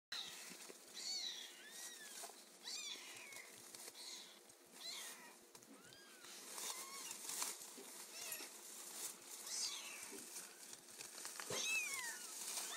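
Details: Kittens in their first week mewing: thin, high, arched cries with bright harmonics, repeated every second or so by several voices over steady background hiss.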